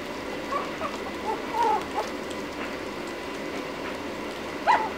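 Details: Lhasa Apso puppy ten minutes after its first feeding, licking, gives a few short, thin whimpering whines that bend in pitch, spaced irregularly across a few seconds, with a last sharper squeak at the end over soft room noise.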